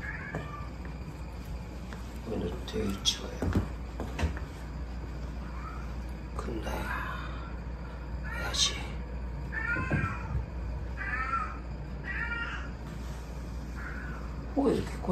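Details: A rescued kitten at an animal shelter on Okinoerabu Island, Kagoshima, one of several orphaned kittens aged about 55–74 days, gives thin rising-and-falling meows while a person talks nearby.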